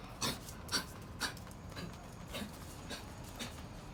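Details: Dog with kennel cough trying to bark: hoarse, breathy, raspy bursts about twice a second, airy and strained rather than clear barks, the first three strongest and the rest fading weaker.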